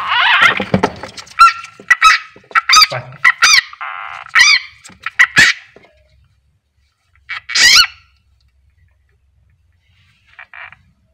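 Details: A frog gives loud, harsh, nasal screams in rapid bursts while being eaten alive by a king ratsnake (Ptyas carinata).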